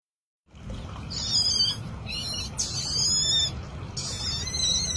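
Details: A young otter discovering water for the first time gives shrill, squeaky chirps in short bursts over a low, rumbling background.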